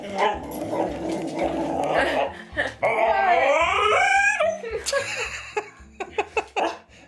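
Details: Pet dog in a small room making odd noises while waiting for food: a low rumbling growl, then a long wavering whine that bends upward and down, ending in a few short sharp sounds, with background music and a person talking.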